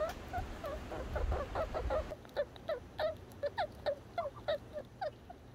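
A red squirrel calls in a fast series of short, slightly slurred chucks, roughly three every second, each with a bright, nasal ring. A low rumble of background noise fills the first couple of seconds, then fades.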